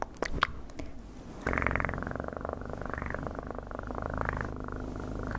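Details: Close, loud cat purr, a continuous low vibrating rumble with gentle rhythmic swells, preceded by a few soft taps and rustles.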